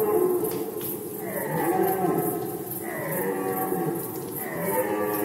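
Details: Red deer in rut season, Poland, 2020: deep, moaning roars with stacked harmonics that slide downward, one at about one second and another near three seconds, overlapping with fainter drawn-out calls and a steady high background hiss.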